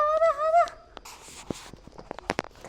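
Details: Kitten calling at a lizard: a brief wavering, rising-and-falling meow, then hissy rustling, clicks and a person's voice.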